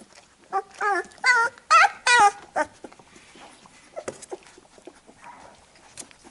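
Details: Labrador Retriever puppies being cleaned by their mother after nursing; a quick run of four or five sharp, wavering squeals in the first two seconds, then only faint shuffling and soft scattered whimpers.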